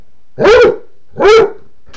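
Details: Male Basset Hound barking to ask for his empty water dish to be filled; two loud, deep, hoarse barks about three-quarters of a second apart, then a brief start of another at the end.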